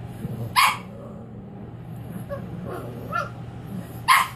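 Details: Cavalier King Charles Spaniel puppy on its first night home, being introduced to crating; two sharp, high yipping barks about three and a half seconds apart, soft whimpering between them, over a low steady hum.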